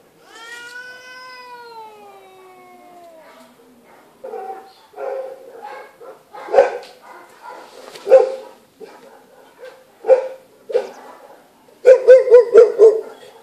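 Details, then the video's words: Female feral cat living at an animal shelter, injured and receiving care: a long, loud, falling harmonic meow for three seconds, then a run of rough, noisy hisses and growling bursts, ending in rapid yowled meows. "Meowing and Hissing Cat"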